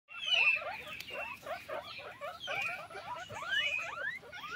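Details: Many guinea pigs kept on a farm calling together: a dense, overlapping chatter of short high squeaks and chirps, some sweeping up or down in pitch, with occasional faint clicks.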